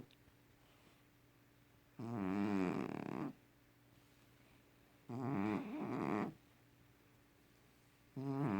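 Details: Domestic cat snoring very loudly indoors: three rough, rattling snores, each lasting about a second, come roughly every three seconds, with quiet breathing pauses between them and a steady faint hum in the background.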